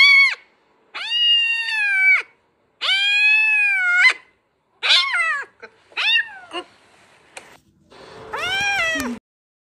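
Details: Kitten being carried away by water gives long, steady, plaintive meows, then shorter broken cries and one last wavering call, with some rustling noise near the end.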